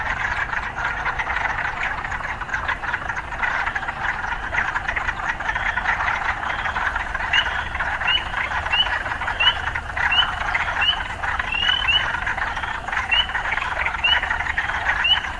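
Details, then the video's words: A chorus of urban frogs: a dense, buzzing, pulsed wall of calls. From about seven seconds in, short rising chirps join it at regular intervals of under a second. "Urban Frogs"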